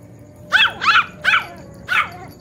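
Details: A Poodle, described as a clever cute dog, being talked to by a grandmother; four high, yipping barks come roughly every half second, each a bright harmonic burst sweeping downward, over low background hiss.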